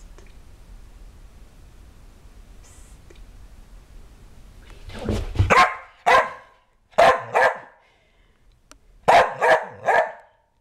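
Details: Ronan, a Kerry Blue Terrier, after a bath: a quiet start, then sharp barks in paired bursts from about five seconds on, with short pauses between groups.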